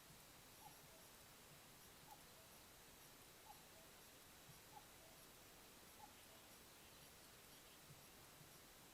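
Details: Wild Ezo red fox kit with the hiccups at a den in Hokkaido, Japan, caught by a trail camera: five faint, short clicky hics spaced roughly every one to one and a half seconds over steady background hiss.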